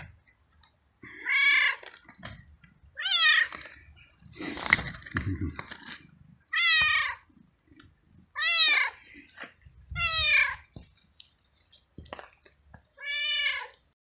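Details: A stray cat soaked by rain follows its feeder and meows persistently; seven or so strong, wavering meows come every one to two seconds, with a brief burst of rustling in between.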